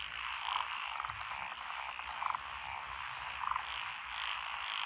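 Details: Rural lotus rice paddies in Echizen, Fukui Prefecture, Japan, on 12 June 2021, holding five frog species including tree frogs and pond frogs: a continuous chorus, with a nearer frog giving short pulsed croaks roughly once a second.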